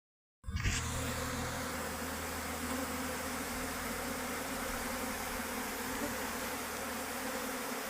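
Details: Worker honey bees leaving their beehive: after a brief silence a dense, steady buzzing starts abruptly and holds at an even level, with a constant drone-like hum and a layered whine above it.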